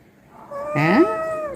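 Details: A domestic cat, said to have come to eat at the house and to be startling Ruby, gives a single meow. It opens with a sharp rising swoop, then holds a steady tone before trailing off.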